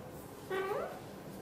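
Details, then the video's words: British Shorthair mother cat, blue golden coat, talking to her tiny kitten while hugging it tightly indoors; one short rising-then-falling meow, about 0.4 seconds long, over a quiet background hiss. "Mother cat loves to talk and hug tightly her tiny kitten"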